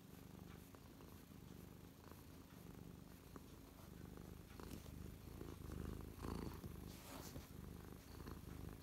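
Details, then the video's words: Close recording of Mia the cat settled happily on a lap, 12/12/2023: a deep, even purr throughout, swelling slightly louder in the second half with a few faint rustles. "Close up Mia purring"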